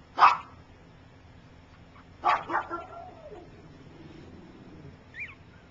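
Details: A three-week-old puppy from Gypsy's litter, learning to walk, gives two loud yelps about two seconds apart. The second trails into a short, wavering whimper, and a faint high squeak follows near the end.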